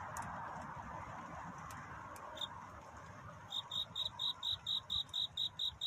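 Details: Cricket at night in courtship: a few scattered clicks and a quiet hum first, then a run of regular high chirps starting more than halfway through, about four per second.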